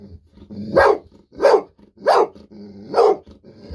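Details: Golden Retriever Bis barking happily while waiting for a fish-sausage treat, sensing it coming; five sharp, loud barks spaced roughly every half second to second, with low room rumble between them.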